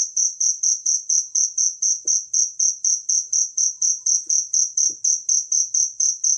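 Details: Natural cricket chirping for songbird tutoring, a clean run of piercing, evenly spaced chirps around two each second, with a few soft low clicks behind.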